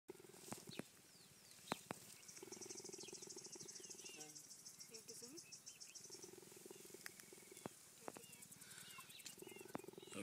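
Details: Cheetah in Botswana purring while being petted, a sign of contentment: steady, low rumbling purr in long stretches, with scattered clicks, faint high chirping in the background and a person speaking briefly.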